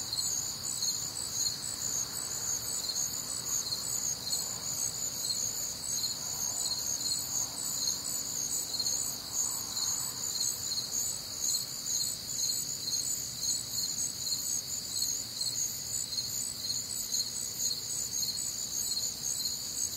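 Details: Crickets and other nocturnal insects on a warm, humid Midwestern summer night, a constant wall of high pulsed chirping in stacked bands, steady and even throughout, with soft faint sounds lower down.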